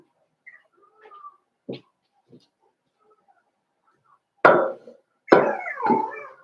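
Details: Five-week-old Cavalier King Charles Spaniel puppies in Daisy's indoor puppy pen. A few faint short squeaks come first, then two loud, harmonic whining yelps close together near the end, the second one wavering and trailing off.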